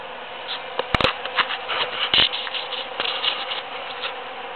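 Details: Busy bees working huge cactus flowers after the June 22, 2013 Super-Full Moon, a close bee passing with swelling, uneven buzzes and brief louder bursts over a background hum, plus a few sharp taps.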